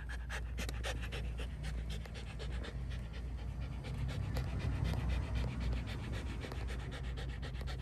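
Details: Shiba Inu named Ranmaru at a pet hotel, visited for shampoo and nail trimming; quick, breathy panting in rapid bursts, several per second, over a steady low hum.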